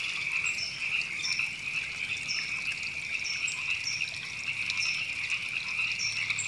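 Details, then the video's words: River frogs calling in Temescal Canyon Park, Los Angeles, California, in April 2017: a dense, steady chorus of high, rapid trilling croaks with faint higher chirps above it and quiet running water beneath. "Frogs Ribbits"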